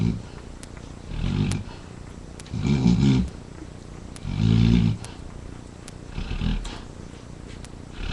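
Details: Kylie, a yellow Labrador Retriever mother, snores in her sleep while two of her puppies nurse and another dog, Buddy, sleeps nearby; deep rumbling snores come in bursts of about a second, five within eight seconds, with faint soft clicks between them.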